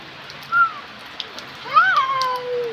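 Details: Domestic cat in Bangladesh giving two meows: a short arched cry, then a longer rising-falling meow with clear harmonics that trails off into a sliding tail, over a faint background hiss.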